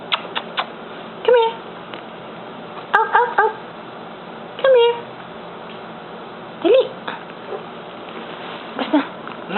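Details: Pipay's newborn puppies indoors, giving short high whimpers and squeaky cries in scattered bursts, some rising then falling, with a person calling to the dog nearby.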